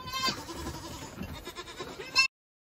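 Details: Young male Saanen goat kids calling with a drawn-out, slightly tremulous bleat that runs throughout, ending in a brief louder burst, with faint farm background noise.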